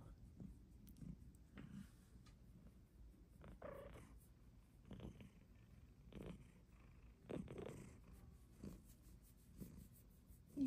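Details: Female Bengal cat indoors, petted by a person: steady low rumbling purr pulsing throughout, with a few soft broadband rustles and faint breathy bursts over a quiet room background.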